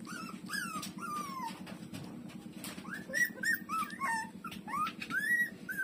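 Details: Street-dog puppy Lulu nursing from its mother gives a string of thin, high whimpers, each sliding up then drooping, roughly every half second, over a steady low pulsing hum in a small room.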